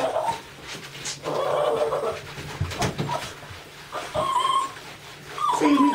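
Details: A Lhasa Apso dog cries while getting a bath indoors: thin, high whimpers come in short rising and falling bursts, with quieter gaps between them, over a noisy background and occasional soft human voice.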